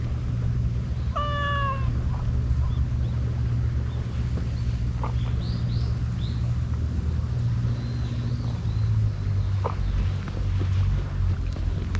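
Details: Stray cat wearing a scarf, met on an empty road on a cat island in Japan and fed wet food and lickable treats; one short falling meow with clear harmonics early on, then steady low engine-like hum and faint rustling.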